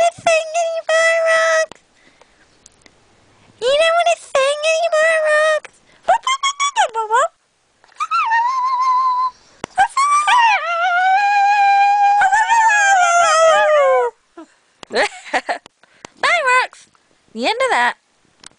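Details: A singing pup makes drawn-out, wavering, yodel-like howls mixed with quicker yips. One long sustained note bends slowly up and down for several seconds before breaking into short choppy notes.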